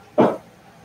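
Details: A single short, mid-pitched bark from Cavalier King Charles Spaniel puppies at play indoors in a house, over a low background hum.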